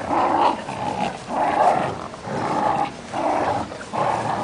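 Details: Play-fighting growls from a Fox Terrier called Rani and a playful Great Dane called Cookie; long rumbling growl phrases of about a second each, repeated with short gaps.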